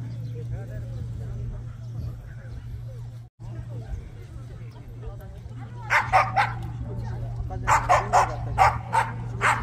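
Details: Korean Jindo dogs at the 67th Korea Jindo Dog Association best Jindo dog contest in Korea; after a stretch of crowd murmur, loud sharp barks burst out from about six seconds, repeated in quick uneven runs over a steady low hum.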